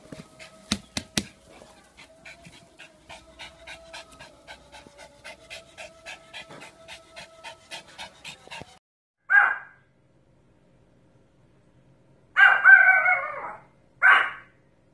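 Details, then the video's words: Pomeranian panting rapidly and rhythmically for about eight seconds, then a short bark, a pause, and a longer burst of rough barking followed by one more bark. "POMERANIAN BARKING - POMERANIAN HOWLING AND BARKING"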